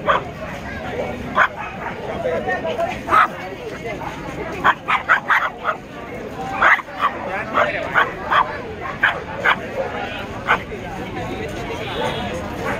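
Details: Aggressive brown Pomeranian puppies give sharp, high-pitched yapping barks in quick irregular bursts, with voices in the background.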